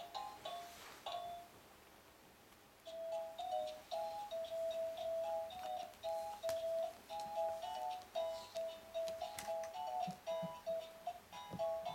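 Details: Gentle chiming melody of bell-like notes plays in a small room, repeating in short phrases, with no animal voices.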